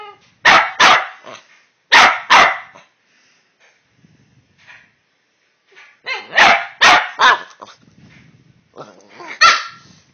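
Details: Two Boston Terriers having a talk, recorded on a phone: loud, rough barks in quick pairs and bursts with pauses between, mixed with short growly whines.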